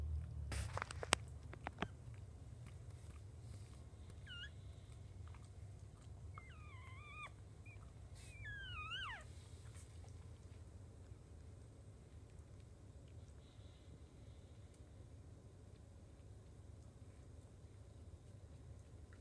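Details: Jack Russell Chihuahua mix mother with her five newborn puppies: a few thin, high squeaky whines rising and falling, scattered through the middle of the recording over a steady low hum, with soft knocks near the start.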